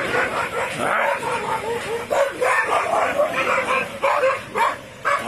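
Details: Injured dog after being pushed, crying in a continuous series of high, wavering whimpers and yelps that rise and fall, with short sharper cries every second or so over steady background noise.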